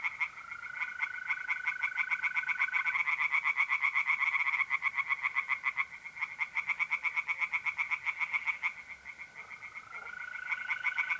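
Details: Tree frogs singing by night in a pond in north-east Italy in mid April: rapid, rattling pulsed croaks repeated about four per second, in long overlapping runs, while mole crickets give a steady, unbroken high trill underneath.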